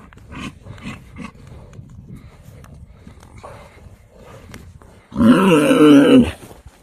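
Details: Himalayan yak of the Himalayas: quiet scuffling and faint background sounds, then a single loud, wavering, lowing call lasting about a second near the end.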